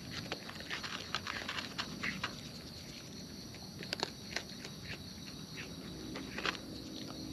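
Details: Close-up eating by wild raccoons. Soft crackling bites and clicky crunches come in uneven bursts, with one sharp louder snap around the middle, against a constant faint hiss.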